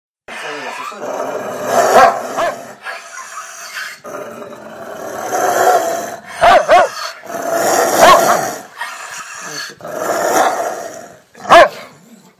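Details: Rottweiler dog growling in long, rough rumbling stretches, broken by a few sharp barks near the middle and a final short bark at the end.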